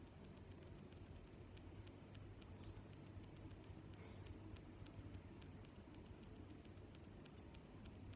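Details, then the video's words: Cricket chirping: short, high, bright pulses repeating roughly every three-quarters of a second, steady over a faint low background hiss. "Sounds of Crickets"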